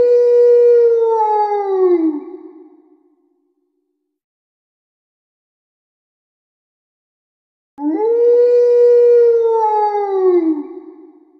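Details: Pet dogs howl in response to a monthly tornado siren test. Two long clear howls each hold steady and then slide downward, separated by several seconds of silence.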